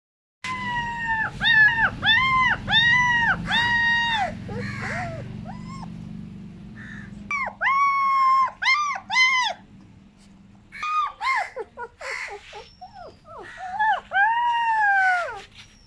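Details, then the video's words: German Shepherd puppy crying: bursts of high, arched whining yelps, several in quick succession, then pauses and further drawn-out whimpers, with a low hum in the background early on. "German shepherd puppy #short #crying"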